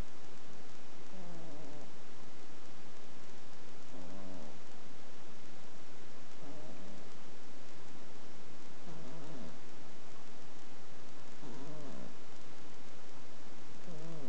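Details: Sleeping pet ferret snoring: soft, wheezy, nasal snores recurring roughly every two to three seconds in a steady rhythm over a constant hiss.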